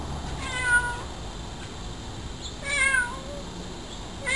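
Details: Cat meowing while watching a hummingbird feed at a feeder, giving two drawn-out meows with a bent, falling pitch a couple of seconds apart, against a steady background hiss.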